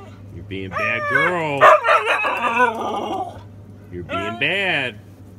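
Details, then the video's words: Siberian Husky Sable, a female, talking back instead of staying quiet: a melodious series of rising and falling woo-woo howls with rich harmonics, a garbled grumbling stretch, then two more wavering yowls. "Husky talking back"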